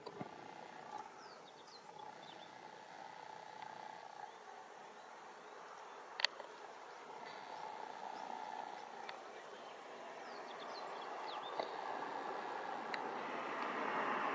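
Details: Worker bumblebee, Bombus diversus diversus, foraging for nectar and pollen on violet and white rocket larkspur flowers in a flowerbed, Japan, late June 2016. A steady droning hum swells louder toward the end, with faint bird chirps behind.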